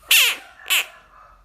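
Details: An American bullfrog confronting a dog gives two harsh, high screeching cries, each sliding downward in pitch.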